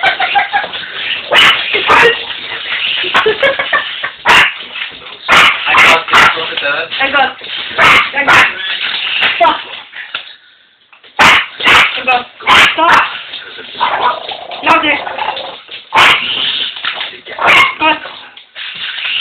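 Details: Two puppies, Toby and Tilly, bark repeatedly and excitedly at a remote control helicopter. Sharp yaps come in irregular bursts with a brief lull midway, mixed with people's voices.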